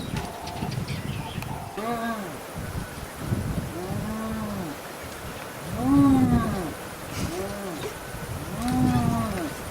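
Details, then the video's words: Spotted hyena family in Selous Game Reserve, Tanzania, fighting over the remains of a killed wildebeest; a series of harmonic arched whoops and moaning calls, rising then falling, about every one to two seconds, with a human voice briefly at the start. "hyena on the run with remains of wildebeest (check sound!)"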